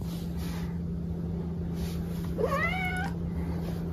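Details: Pet cat being weighed lets out a single clear meow, about two-thirds of a second long, rising then falling in pitch, against quiet room tone and a constant low hum.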